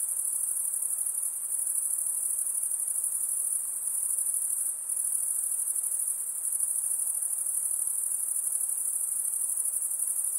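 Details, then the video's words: Steady high-pitched insect trilling by a calm lake, a sustained ringing chorus with one slight dip midway and soft hiss underneath. "Relaxing high pitched INSECT sounds"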